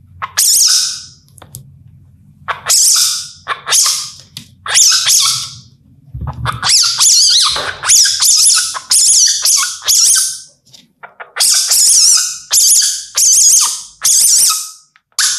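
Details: Indian palm civet in India calling at night. Repeated sharp hissing spits, sparse at first, then coming faster in a dense run of short harsh bursts roughly every half second, with a low hum early on.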